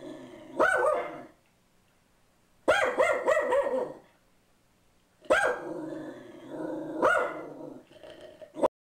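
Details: Boo Radley, a pug mix on a bench, reacts to an ad man at the door with a single bark, a quick double bark, then a drawn-out, rough, growly bark followed by one more sharp bark.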